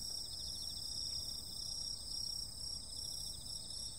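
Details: Steady high-pitched insect shrilling on a summer night, several tones layered into a constant ringing chorus. The level wavers gently, over quiet low background noise.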